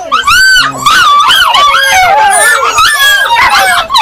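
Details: Excited Yakutian Laika voices in a dense, siren-like tangle of whines and yelps. Wavering high tones rise and fall over one another throughout, with a short low note early on.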